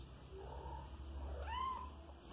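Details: A five-month-old kitten kept at home, an insect hunter, gives a short rising-then-falling meow near the end, with a faint softer call earlier and a low steady hum underneath.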